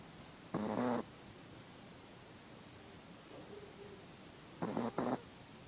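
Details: Sleeping female Chihuahua giving two rough, nasal snore breaths about four seconds apart, each under a second long, against quiet indoor background hiss.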